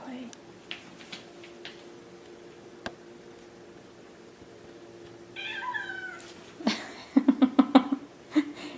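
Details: Two Maine Coon kittens, Delilah and Daisy, at play; a short harmonic meow rises out of quiet clicks and taps, followed by a burst of rapid, evenly pulsed low calls, with a woman talking nearby.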